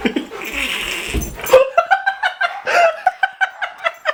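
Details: Golden Retriever teased with a laser pointer indoors; a noisy scuffle and a burst of rough sound give way to a run of short, high, rhythmic whimpering yelps repeated about every third of a second.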